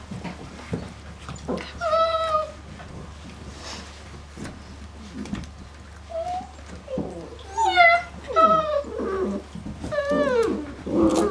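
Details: Five-week-old female Great Dane puppies from litter "D" at kennel "IZ MIRA GREZ" give high, wavering whines and short yelps, sparse at first, then several overlapping in a busier second half, with soft background murmur.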